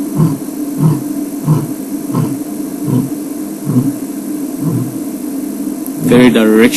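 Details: A male lion gives a series of deep, rhythmic grunts, about one every two-thirds of a second, over a steady engine hum, signalling to his pride and to other lions that he is about.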